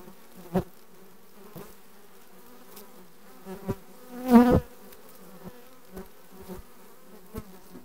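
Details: Honey bees of a requeened colony, June 2020: a quieter low hum with a loud close buzzing burst partway through and several sharp knocks spaced through the recording.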